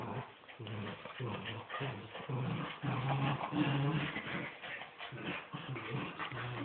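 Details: Miniature wirehaired dachshunds, mother and son, in a tug of war game; steady low growls pulse repeatedly, nearly two per second, rising and falling in rough rhythm throughout.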